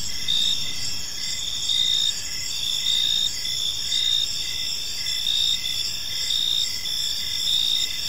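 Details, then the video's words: Gentle chirping of crickets fills an evening park: layered high, buzzy trills run without pause, punctuated by brief chirps repeating under a second apart, with quiet distant rumble underneath. "Cricket Sounds in a Peaceful Park"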